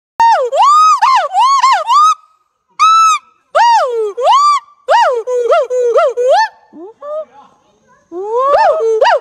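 Siamang calling with loud, rich hooting notes that swoop up and down in bursts.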